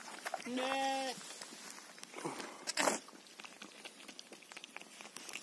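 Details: Just after a ewe has given birth to a lamb, a single clear, steady sheep bleat lasting about half a second, followed by rustling, a sharp thump and faint background noise.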